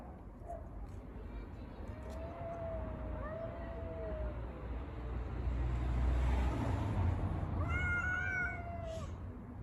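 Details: Street cats quarrelling over a litter box: a sustained low wavering yowl, then a burst of rumbling noise, then a sharper, rising, higher yowl near the end.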